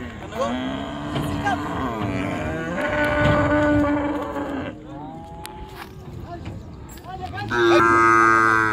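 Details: Cows unloaded from the river side at a popular village cattle market; drawn-out overlapping moos, some wavering and rising in pitch, a louder bellow closing the recording, with light market noise behind.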